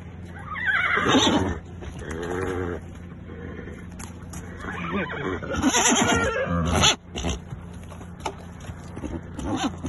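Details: Four-year-old local-breed mare kept with her foal in Riyadh, Saudi Arabia, giving a whinny: a falling harmonic squeal, then a long quavering, wavering neigh, with later rougher calls, clicks and background noise.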